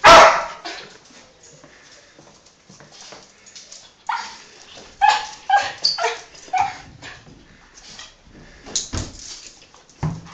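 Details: Indoor Yorkshire terrier excited about the owner's father coming home from work: a loud opening bark, a quiet stretch, then a burst of short high yips and whimpers, tapering into scattered softer sounds.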